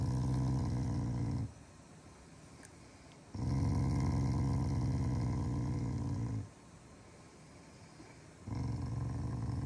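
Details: Morning routine of a Shiba Inu that growls at its owners as a unique show of affection rather than anger; deep rumbling growls of one to three seconds alternate with brief quiet gaps.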